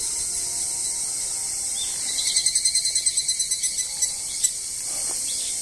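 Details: Kanakana call of a higurashi cicada at the Izumi Nature Park parking area on 20 August 2012: a train of about fifteen rapid, evenly spaced ringing pulses that slowly fade out, with a constant shrill insect chorus behind it.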